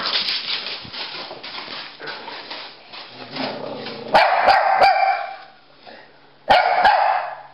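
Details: Pekingese and Bulldog named Rocky and Bully at play, chasing each other; sharp barks burst in around four seconds and again near six and a half, over a busy rustling background.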